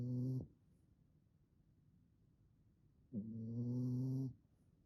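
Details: Snoring from a fawn French Bulldog puppy, a three-month-old female: a short low rumbling snore at the start, a quiet pause of nearly three seconds, then a longer, steady, buzzing harmonic snore lasting over a second.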